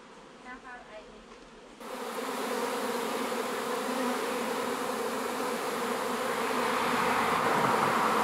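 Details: Honey bee swarm being moved into a new hive: after a quiet opening with faint voices, a dense, steady buzzing of many bees sets in abruptly and swells slightly louder toward the end.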